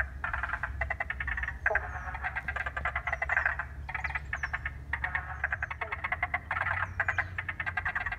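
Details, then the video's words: In Paringa Paddock National Park, South Australia, a wetland recently given water is full of frogs calling, captured on an iPhone. Steady bursts of buzzy, pulsed croaking overlap throughout, with thin high chirping notes now and then. "An iPhone recording of frogs in Paringa Paddock National Park South Australia."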